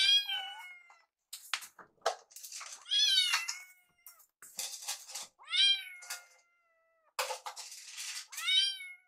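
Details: Rescued foster kittens Yuki and Piyo on their last night before leaving for new homes, cuddling after play. High, rising-then-falling kitten meows with bright harmonics, about five calls spaced irregularly, between soft rustles and clicks.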